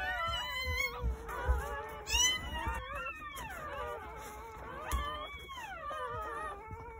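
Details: Newborn Jindo puppies, part of a litter of nine born on New Year's Day at a countryside house between 8:30 morning and 1 o'clock, give high wavering whines that slide downward, repeating irregularly over a low rumbling background.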